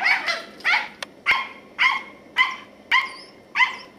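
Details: Katie, a 10-year-old female Scottish Terrier, barks while on squirrel patrol in November 2008: sharp, bright barks repeated roughly every half second, seven in a steady run.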